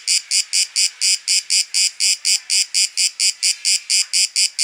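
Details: Cicada singing in Athens, Greece, during September: evenly spaced buzzy pulses, roughly four each second, each a short bright rasping burst, continuing steadily without other sounds.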